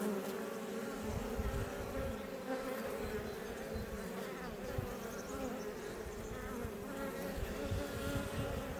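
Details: A crowd of Iberian honey bees at a Langstroth beebox west of Roquetes, Catalonia, Spain, near Els Port National Park; a constant, layered droning buzz with faint wavering tones above the main hum.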